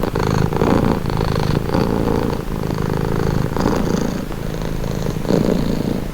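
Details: A cat purrs close up, a relaxing low vibrating drone that swells and softens in rhythmic breaths about once a second, steady and uninterrupted.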